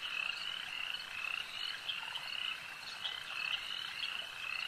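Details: Frogs at a lake calling as a dense, steady chorus of overlapping high croaks and short trills, with many callers sounding at once and pulsing every second or so, no other sounds standing out.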